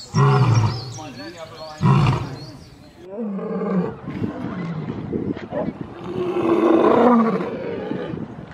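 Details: African savanna lion calling to mark territory and communicate with its pride: two short, powerful low roars at the start, then softer grunting and a swelling rumble toward the end, possibly overlaid with talking.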